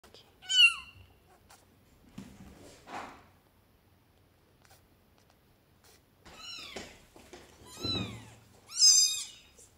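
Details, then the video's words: Newborn kittens, one of five rescued strays on their first day in a flat, calling for their mother and for food: high, thin, rising-then-falling meows in scattered bursts, several overlapping near the end, with quiet rustling between. "Cute Newborn Kittens Meowing"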